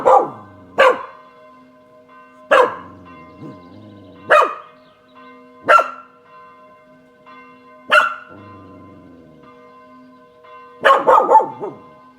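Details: Balcony scene on a Saturday at 18:00: Kasper, a Spanish Water Dog, answers the church bells with loud barks roughly every two seconds, ending in a rapid cluster, bells pealing throughout.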